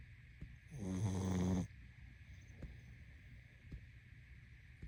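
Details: One drawn-out, vibrating snore from a sleeping pug rises and holds for under a second, low and gravelly, then gives way to near silence over a soft steady hum.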